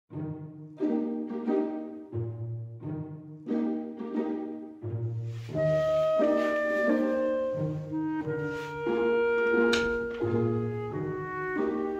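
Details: Bowed string music with cello and double bass, plucked notes and brass, no animal sound heard.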